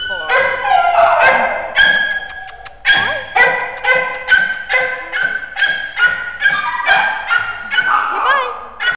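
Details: Shelter terrier mix named Scruffy, four years old and frightened of people, barks steadily in a quick, uneven series of sharp, high-pitched barks, roughly two each second, with occasional whining yips.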